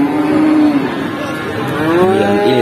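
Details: Young feeder cattle at Pati cattle market, Indonesia: one long, level moo, then a second rising moo a second later, against a busy market background.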